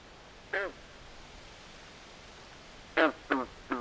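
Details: Frogs calling at night by a swamp: a single short, harsh, quacking croak, then after a pause three more in quick succession, each rasping and rich in overtones, over a steady soft hiss.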